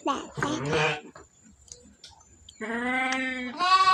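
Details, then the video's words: Sick sheep undergoing treatment for a cough bleats in a drawn-out, steady, harmonic-rich cry near the end, after brief human speech and a quiet pause indoors. "proses pengobatan domba batuk"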